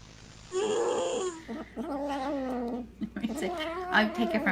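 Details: Weird cat noises: a wavering, warbling caterwaul with wobbling pitch, drawn out over several seconds in two or three uneven bursts, with some light background rustling.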